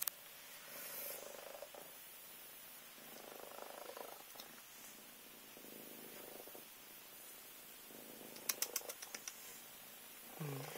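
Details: Minskin cat purring while waking a child indoors: soft rhythmic purr in pulses about every second and a half, quiet room tone, a few sharp clicks near the end and a brief voice.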